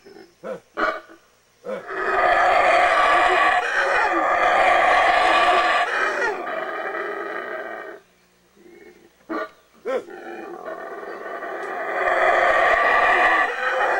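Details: Wild howler monkeys howling in Belize: a deep, grating, continuous roar lasting about six seconds, a pause with a few short grunts, then the roaring swells up again.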